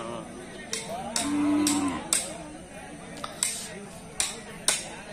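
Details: Hallikar cattle at the Sunday Jodu Gatta cattle fair market near Mayasandra, Turuvekere taluk, Tumakuru district, Karnataka, India: one short, steady, low moo lasting under a second, amid sharp knocking clicks recurring every half second or so.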